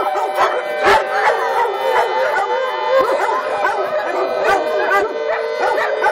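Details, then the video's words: At a doggie daycare in Lucas County, a group of dogs sings along with the emergency siren test held monthly. A dense chorus of wavering howls is broken by frequent short barks. "Doggie Daycare Monthly Siren Howling"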